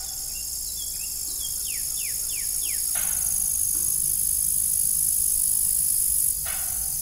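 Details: Crickets in the evening at an old farm with a rusty, broken windmill; a steady, very high-pitched insect shrilling runs throughout, with a short series of descending whistled bird notes early on and a low background rumble.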